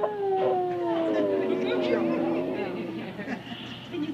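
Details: Basset Hound singing in a restaurant in Oregon: a long, drawn-out howl with clear harmonics that slides slowly downward over about two seconds, then trails off, with people talking throughout.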